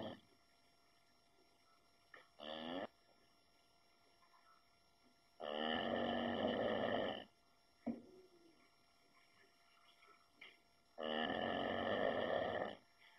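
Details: Sleeping Shar Pei dog snoring in slow cycles: loud rattling, buzzy snores of about two seconds roughly every five seconds, separated by quiet breaths and short snorts, with a constant faint high hum.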